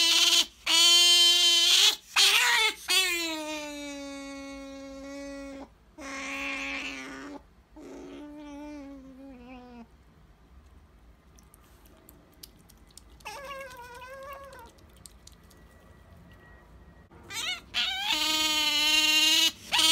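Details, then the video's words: Sakura the female pet otter demands jerky with long, shrill, steady squeals. A quieter stretch in the middle holds a wavering call, then the loud squealing returns at the close. "カワウソさくら ジャーキーに対しての愛が止まらない！ A collection of the nonstop love of Sakura the otter for jerky!"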